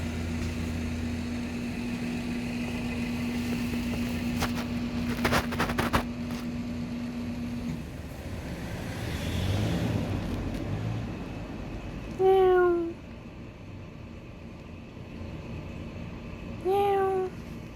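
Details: Neighbourhood stray cat recorded in 2019 with a Samsung Galaxy S9+: after idling engine noise and a few clicks, two loud, clear descending meows arrive about four seconds apart.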